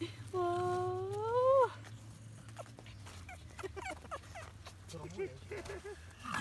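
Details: Three Norwich Terrier puppies, four weeks old, filmed on a visit at Mouchnice on 25 August 2018; one gives a long, loud whine that rises slightly, then falls away, followed by softer short squeaks and whimpers, with background voices and a low hum.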